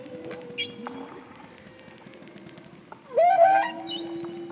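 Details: A male Hawaiian humpback whale, recorded by hydrophone while singing near a boat, sings a low, steady moan, then a loud rising swoop from his song's first theme.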